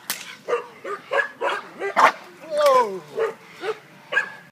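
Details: American Bulldog on guard, barking in a quick, uneven series of short barks, about nine in four and a half seconds, with one drawn-out, falling whine in the middle.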